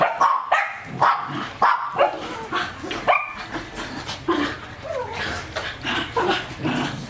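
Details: Raw-fed working-line German Shepherd starting with several clear barks, then a looser mix of softer barks and short, whiny, yelping sounds over a noisy background.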